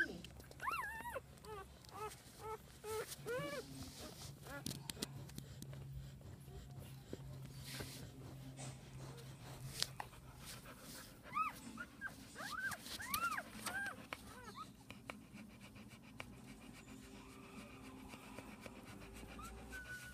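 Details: Newborn Pit Bull puppies, one day old, from a litter of ten (five males, five females), give thin rising-and-falling whines in bursts near the start and again around the middle, with quiet speech and handling noise behind.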